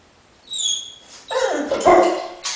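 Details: Dog described as a cross with a lion, giving a rough growling roar-like cry after two high whistled tones, with harsh broadband bursts rising and falling over under three seconds.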